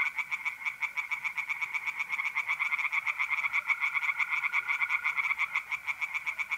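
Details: Chorus of tree frogs in a north-east Italian pond by night in mid-April: rapid, harsh pulsed croaks from several frogs at once, layered over the sustained buzzing trill of mole crickets.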